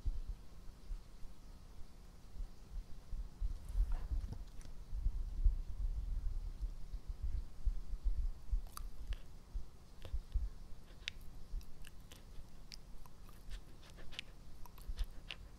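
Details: Pet dog Epo-chan chewing close to the microphone: dull low crunches and thuds in an uneven rhythm, later joined by sharp scattered clicks of teeth and mouth in a quiet indoor room.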